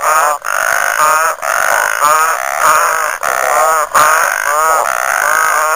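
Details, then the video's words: Chorus of frogs at Lake Nhambavale in Chidenguele, Mozambique, with bursts of rapid, pulsed, rising croaks about every second, separated by brief gaps, many callers overlapping into a steady, insistent din. "Frog Orchestra"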